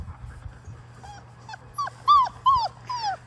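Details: Labrador Retriever puppies, five weeks old, six in a litter, playing in a water-filled baby pool; a few arched whining whimpers rising then falling, the last several louder and closer together, over faint splashing.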